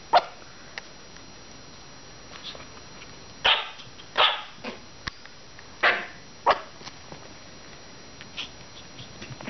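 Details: Five-week-old Maltese puppies out playing, recorded April 16: sharp high yapping barks in short bursts, four louder ones clustered in the middle and a few fainter yips scattered around them, with soft background noise.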